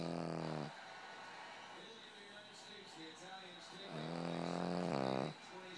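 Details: A Boston Terrier snores in long, nasal, humming breaths with a steady low pitch; its owner says it sounds like an engine.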